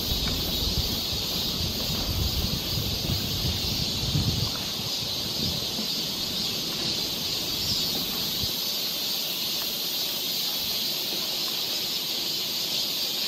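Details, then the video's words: Cicadas along a summer forest trail in Seoul, Korea: a dense, unbroken high-pitched shrilling drone holds steady throughout, with soft low rustling and thumps in the first few seconds. "cicada sound"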